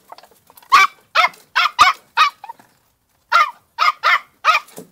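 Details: Female Podenco de Cuevas puppy, two months old, in a riding paddock, yapping in sharp high barks, five in a row, then a short gap and four more.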